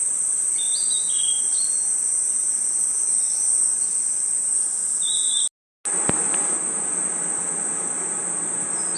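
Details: Crickets and insects chirping through a night forest: an unbroken thin high-pitched buzz, a few short whistled notes early and one later, then a sudden brief silence and a click before the drone resumes.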